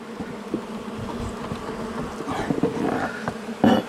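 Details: Agitated honey bees from a wall colony being cut out after dark; a sustained low buzz with intermittent knocks and scraping from the work.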